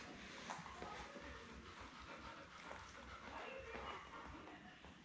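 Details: Seven newborn Lab puppies, born May 24, 2021, nestled with mother Belle on a live stream cam; faint high-pitched squeaks and whimpers repeat irregularly through a broad hissy background with muffled rustling.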